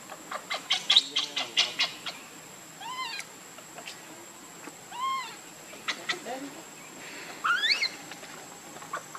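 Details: Baby monkey crying while begging its mother for milk, hungry: repeated short arched squeals with rising-falling harmonics, several in bursts over nine seconds, with clicks and a faint steady high tone in the background.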